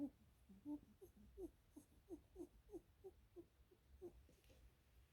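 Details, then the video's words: Lionhead rabbit petted indoors gives a rapid string of soft, low nasal grunts, roughly three per second, evenly paced throughout, in a quiet room. "Bunnies make funny noise when I pet hem"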